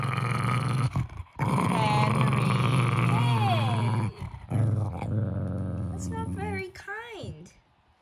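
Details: Jack Russell Terrier growling to guard his stuffed toy monkey when asked for it: a low, steady rumbling growl lasting several seconds, broken by short pauses, with a person talking over it throughout.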